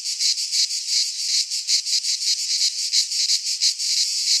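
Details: In a pine forest in Greece at midsummer, cicadas sing a loud, sizzling buzz chopped into distinct throbs about three to four per second, rising and falling in volume.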